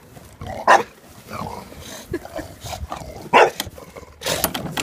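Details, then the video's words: Jack the dog objecting to a lawnmower with two sharp barks about three seconds apart, surrounded by steady engine noise and rustling. "Jack does not approve of the lawnmower"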